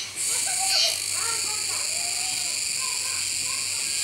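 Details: Kuroiwa cicada chorus recorded at Neopark Okinawa, Japan, 16 October 2021, beside a capybara eating: an unbroken, hissing high-pitched whine with one quick dip at the start, and faint talking voices.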